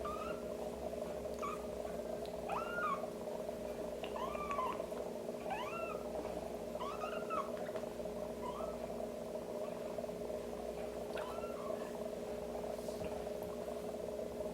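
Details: Young kitten mewing during assisted toileting with a warm wet wipe: high, bent cries repeated about once a second for several seconds, a pause, then a couple more, with a constant droning hum underneath.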